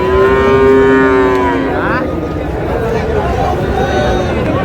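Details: Friesian and crossbred bull calves at Raniganj cattle market, Dinajpur, on 6 August: one steady, tonal moo lasting under two seconds, followed by a short rising bleat-like note, over constant crowd murmur and market bustle.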